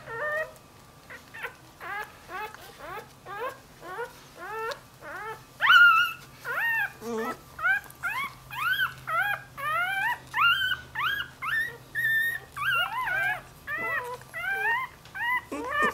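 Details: Newborn Dachshund-Jack Russell cross puppy that has wandered from its mother, whining persistently: a rapid string of high, arching squeaky cries repeated roughly every half second, some rising sharply, continuing without pause, with a low steady hum underneath.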